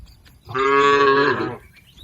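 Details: A single loud, steady moo lasting about one second from tame cattle grazing in a green field, full of even harmonic bands, with quiet surroundings before and after.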